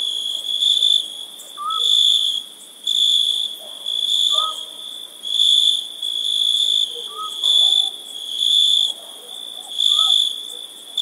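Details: High, sizzling cricket chirping on a summer night, pulsing in loud bursts separated by short dips about every second. A quiet, short lower whistle recurs every few seconds.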